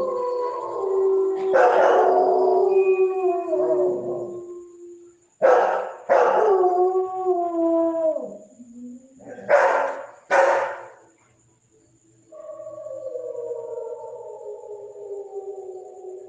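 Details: German Shepherd howling in several long, sliding tonal phrases with rich harmonics, separated by short sharp yelp-like bursts, ending with a quieter sustained howl that slowly descends.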